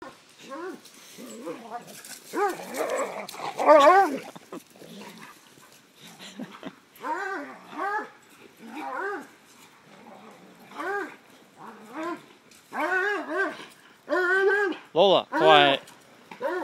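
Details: Treeing Walker Coonhounds playing roughly together: a run of short, arched, wavering yowls and whines, some overlapping, with growly scuffles and brief louder bursts in between.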